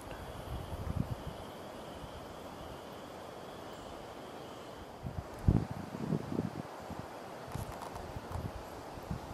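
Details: A white-tailed deer (Odocoileus virginianus) snorts at a person, giving a few sharp, breathy snorts over low rustling and footsteps.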